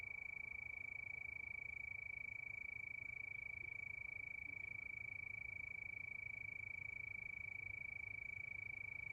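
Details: Crickets calling at night under a moonlit sky: a continuous high ringing note beating fast and evenly, near three pulses per second, above a dull low murmur.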